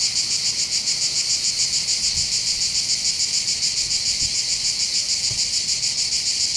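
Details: Mediterranean hillside cicadas above the harbour of Bandol, southern France, singing together: a high, grating continuous buzz that pulses evenly around three times a second, with a few faint low knocks underneath.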